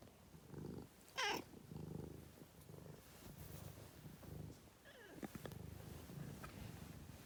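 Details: Cat purring in rhythmic low rumbles that swell with each breath, broken by a brief rising high squeak and a later soft chirp-like sound.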